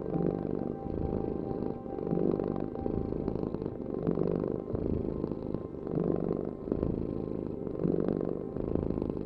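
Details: Rolling cat purr, the deep vibrating rumble swelling and easing about every two seconds with each breath, a faint steady hum running underneath.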